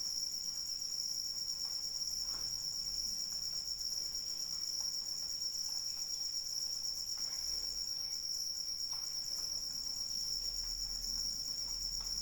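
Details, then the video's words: During rain, crickets keep up a constant shrill, buzzing trill at high pitch, unchanging throughout, while a soft steady patter of rain fills the background. "Suara Hujan dan Jangkrik Pengantar Tidur"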